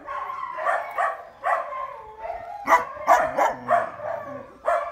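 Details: Beagle puppies, all female, giving short high yips and barks in uneven bursts, some doubled, with a few soft whimpers in between.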